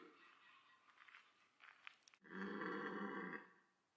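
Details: Red deer during the autumn rut at Sainte-Croix wildlife park, amid stags pursuing females and fighting. Quiet rustling and faint noises give way to a sudden loud, rough, harmonic roar lasting just over a second before fading.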